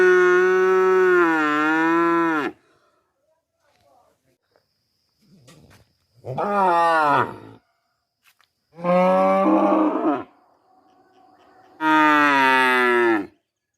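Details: Calf mooing in four separate bouts, each a drawn-out, harmonic-rich moo lasting one to two seconds with quiet gaps between, the first long and steady, later ones bending slightly in pitch.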